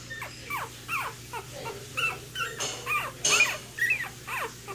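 Week-old Cocker Spaniel puppies give thin, high, falling squeals and whimpers, about two each second.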